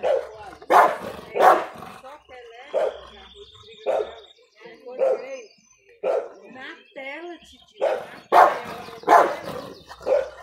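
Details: An American Bulldog of the Big Bully type barks in deep, gruff bursts, with a person talking between them.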